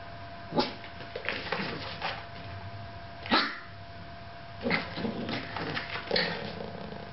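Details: Yorkshire Terrier left alone with a camera, giving short, sharp barks in irregular bursts, roughly every one to two seconds, some in quick doubles, with a steady faint electrical hum underneath.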